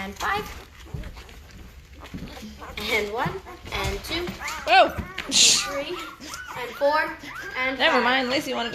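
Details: Five-day-old Great Bernese puppies, a Great Pyrenees and Bernese Mountain Dog cross from Lacey and Castle, getting noisy in the litter; overlapping high, arching whines and squeals rise and fall almost continuously, with a sharper hissy burst midway.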